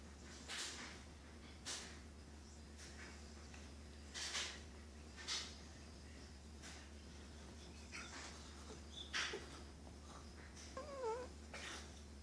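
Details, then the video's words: Sleeping cat snoring indoors: soft, breathy, noisy snores repeating roughly once a second, with a short squeaky wavering sound near the end over a steady low hum. "Snoring cat"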